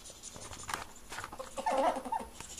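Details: Mating ferrets. After a stretch of light scuffling, a short, wavering, nasal squeak rises and falls for about half a second, followed by a brief second note and soft rustling.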